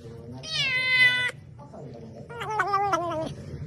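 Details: Pet cat meowing twice: a long, bright, strongly harmonic meow with a steady pitch, a short pause, then a second wavering meow. A low background hum runs underneath.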